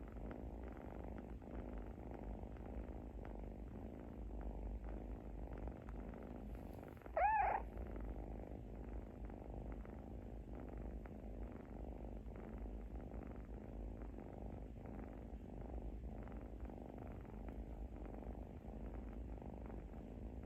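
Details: A kitten snores in its sleep with a continuous low buzzing rumble, steady for twenty seconds except for one short, louder rising squeak about midway.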